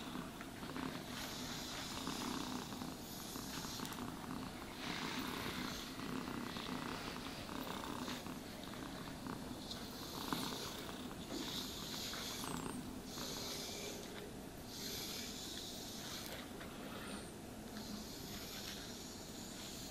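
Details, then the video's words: Cat purring contentedly as it is groomed with a brush, a steady rhythmic low-pitched rumble running throughout, punctuated by regular rasping brush strokes every second or two across its coat. "Cats Purring Sounds for Sleep and Stress Relief | Cat Brushing, Cat Grooming"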